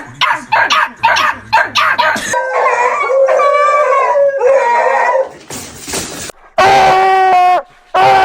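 A beagle gives sharp repeated yelps, then long wavering bays and a high drawn-out scream.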